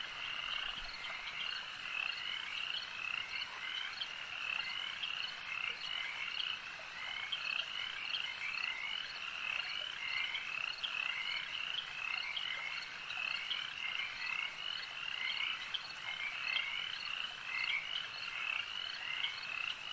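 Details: Frogs at a lake keep up an unbroken nighttime-style chorus, countless high, pulsed trills and chirping notes overlapping evenly, with a few louder calls punctuating the steady wall of sound.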